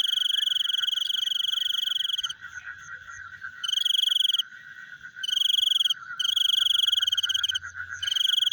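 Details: Frogs at night: bursts of fast, buzzy trilling, some short and some longer, with quieter gaps where only a soft, steady chorus continues.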